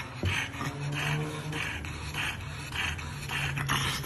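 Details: A French bulldog meeting a statue of himself pants in quick, breathy bursts, roughly twice a second, over a low steady hum.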